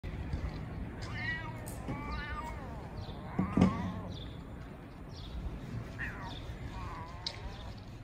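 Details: Two homeless street cats meow back and forth as if sorting things out: several drawn-out, wavering meows rise and fall, spaced a second or two apart, over a steady low rumble of street background noise.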